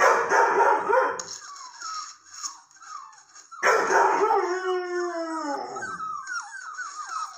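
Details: Young female red and white Setter howling at her breeder's latest litter of red-coated puppies; rough wavering howls open the recording, then after a short pause a long sliding howl breaks into a series of falling, yelping wails, with faint high whine behind.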